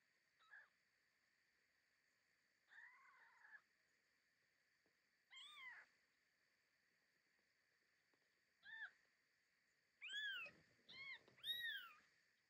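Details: Mother domestic cat carrying her newborn kittens to a secluded, safe place; high, thin mews come in short bursts, several arched and rising-falling, clustering near the end, over a faint steady electrical whine.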